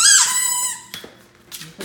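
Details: Nine-month-old male Great Dane indoors, howling at his reflection in a mirror while playing with a ball: a high, squeaky wavering howl sliding downward over about a second, followed by faint thumps and room noise.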